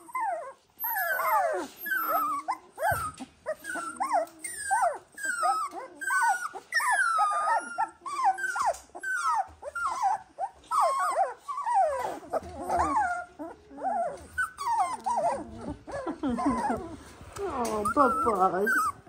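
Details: A litter of 18-day-old Dalmatian puppies crying together: a steady chorus of short, high squeaky whimpers, bent and overlapping, rising and falling continuously for almost twenty seconds.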